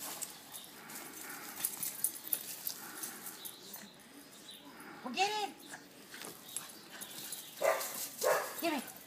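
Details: Boston terrier named Jackie, a pet, playing tug with a rope, gives a few short arched yelping barks late in the clip, two close together near the end, over a steady scuffling background with a person talking.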